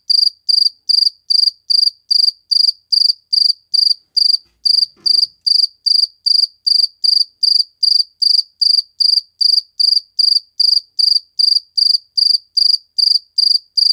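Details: A cricket chirps in a regular train of short, high, piercing pulses, roughly two and a half per second, with one brief pause and a soft knock in the background.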